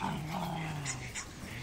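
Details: A dog searching an abandoned woodchuck hole while hunting growls in a low, steady rumble that holds throughout, with faint breathy noise above it.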